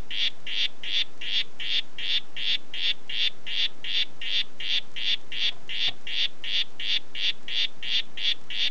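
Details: "Red Head" red-headed harlequin poison frog giving evenly spaced, sharp buzzing notes at nearly three per second, about two dozen in a row, with quiet background.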